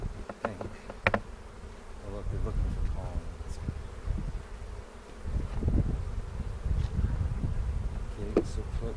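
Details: Honey bees during an April 27 hive inspection, second of the 2018 season, in a bee yard in the foothills near Cochrane, filmed with a 360 camera. A steady low hum runs throughout, broken by sharp knocks and clunks of frames being handled.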